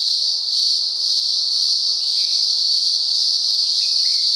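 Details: Cicadas calling in daylight in the upper Blue Mountains, Australia, a chorus heard on and off for about a week: a loud, continuous, shrill buzzing drone that holds steady throughout without pauses.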